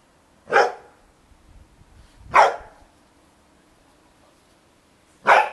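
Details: Bearded Collie dogs at play in a garden as darkness falls, black-and-white puppies with their mother Topas and Gipsy: three loud, sharp single barks, spaced roughly two to three seconds apart, with near silence between them.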